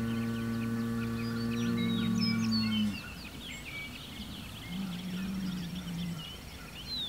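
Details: Bull-talk from Hereford bull Homebrew toward another Hereford and an Angus bull across the road, June 17, 2023. A rich, strongly harmonic bellow held about three seconds, then a fainter answering moo, with birds chirping throughout.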